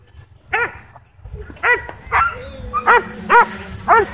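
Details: Excited barking from dogs reacting to a DJI Mavic 2 drone at a dog park: six clear, evenly spaced harmonic barks, with a soft whine and a low rumble between them.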